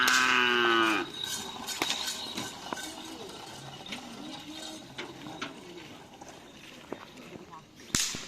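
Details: Opening with a loud, rich moo lasting about a second, a bull from the karapan sapi race teams training at Asemanis field calls out. Scattered knocks, voices and background bustle of the practice ground follow.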